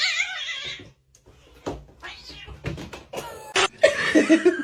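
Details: Domestic cat meowing: a drawn-out, harmonic meow that slides downward over almost a second, followed by a brief silence, then a jumble of shorter bursts, knocks and a few higher tonal squeaks.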